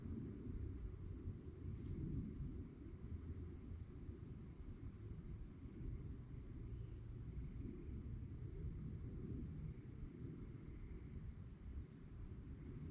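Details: Crickets chirping at night in a relaxing nature recording: a steady, high, rapidly pulsed trill that runs unbroken through the whole stretch, over a deep constant rumble in the background.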